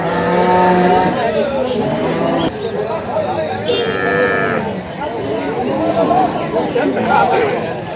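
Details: Water buffalo at a livestock market during a difficult calving. A drawn-out, droning moo with rich harmonics rises from a noisy crowd of many people talking and shouting.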